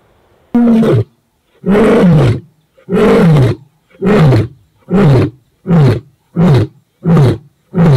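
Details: Casper, a white male lion of the ageing Shishangaan coalition, roaring in response to the rival Mayambula coalition near Satara's Sweni area; loud, deep grunts start long then grow shorter and quicker, about nine bursts in eight seconds.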